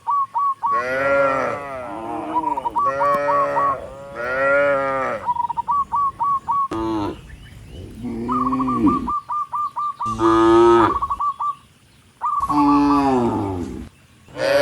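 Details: Tame cattle, dozens of them, head up a country road to the barn and moo to call other cattle; long harmonic moos follow one another in quick succession, with rapid high chirps repeating between them.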